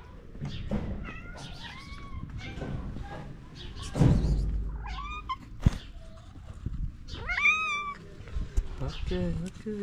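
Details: Stray cats in Morocco ask for food with cute meows: many repeated, wavering meows from several cats, some rising then falling, while a man speaks softly to them, asking if they want food; occasional thumps and clicks.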